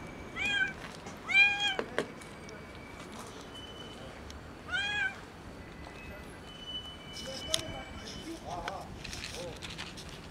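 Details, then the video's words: Skinny kitten meowing from hunger, three loud, ringing meows in the first five seconds, then only scuffling, clicks and faint background noise. "Skinny kitten meows loudly from hunger"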